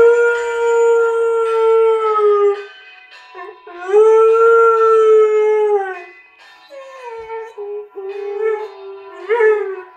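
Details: Afghan Hound singing: long sustained howled tones around a steady pitch, with rich harmonics, swelling and falling in three or four drawn-out phrases, some wavering upward at the ends, with music behind.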